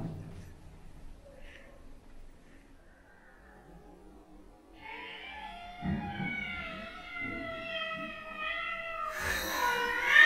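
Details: Two male cats, a black-and-white cat and a silver Bengal kitten, fighting, described as territorial: quiet start with faint low sounds, then a long drawn-out yowl with a slowly falling pitch, ending in a sudden loud, harsh hiss-like burst.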